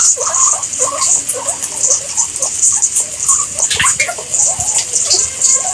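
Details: Guinea pigs giving a busy run of short, soft chirping squeaks in quick irregular bursts, several overlapping, over a steady bright hiss like running water throughout.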